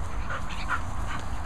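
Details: Grumpy dog grumbling indoors, a low, rough, continuous rumble lasting the whole moment, with a woman's voice nearby remarking on the unfamiliar noise.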